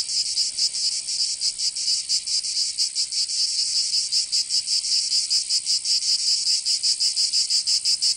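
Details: Cicadas singing in summer in Provence, southern France: a dense, high, hissing buzz pulsing in quick, somewhat uneven beats, about four throbs a second, with no other sounds.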